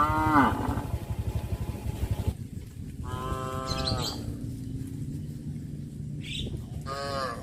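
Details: Cows of a village herd walking quietly to pasture on a morning road; three separate moos, a short falling one, then two rich harmonic calls about four seconds apart, over steady low rumble and faint bird chirps.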